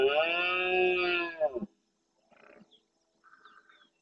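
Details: Red deer stag with his harem of hinds and young at dawn in the marsh of Doñana National Park, Andalusia, Spain, courting females and roaring to warn rival males. One loud, harmonic, drawn-out bellow lasting under two seconds breaks into grunts, followed by faint distant calls.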